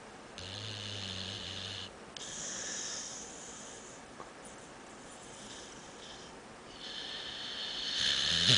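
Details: A dog asleep on the couch snores much like a person, with a deep rattling inhale, then soft whistling, wheezy exhales that fade and return, indoors.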